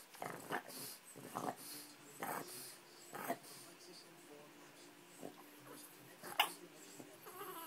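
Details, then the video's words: Male Boston Terrier talking to his owner because he dislikes being ignored, telling them it is time to go to the park; short whiny, grumbling vocal bursts about once a second, with a brief laugh after. "Frank the Talking Boston Terrier"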